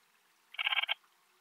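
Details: Alpine bush-cricket, Antaxius difformis, at Timmelsjoch, Italy, on 26 August 2022: a short burst of about eight rapid scratchy pulses lasting under half a second, bright and buzzy, set against quiet background.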